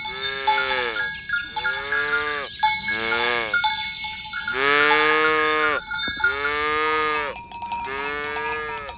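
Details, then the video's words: Herd of village cows walked toward the pen in the morning. Four or five drawn-out lowing moos, each arching up then sinking, come in turn against constant bright cowbell tones and some clatter. "Suara Sapi Moo"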